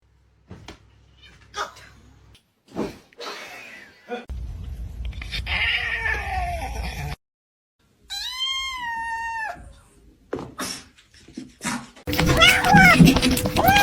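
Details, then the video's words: Domestic cats in a funny fighting compilation: scattered short sounds, then a clear drawn-out meow that falls in pitch, ending in a loud noisy burst, with music and laughter around it. "funny cats fighting"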